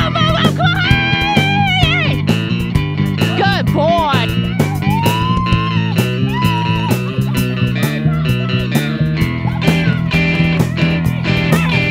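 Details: Loud electric guitar and bass music with a driving rhythm and a voice mixed in; no barking or other animal sounds stand out.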